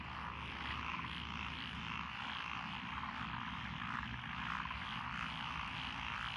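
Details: Frog chorus from lotus rice paddies beside a country road in Echizen, Fukui, Japan, 12 June 2021, with tree, pond, wrinkled and green tree frogs: dense pulsing croaks fill the mid range, over a steady low engine-like drone.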